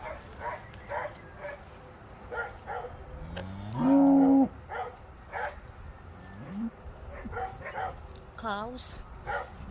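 A cow gives a loud, rising moo, calling out to companions it has been separated from.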